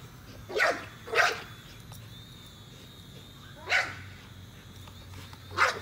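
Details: American Bully named Nola, a female dog, chasing a drone: four sharp barks in two pairs, the first two close together near the start and two more spaced later, over a steady high drone whine and low background hum.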